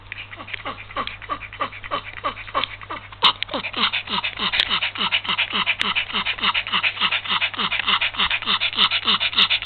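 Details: Small Yorkshire Terrier suffering heat stroke in February 2015, panting fast and hard at about three and a half breaths per second, each breath carrying a faint whiny, falling tone. A few sharp clicks break in midway.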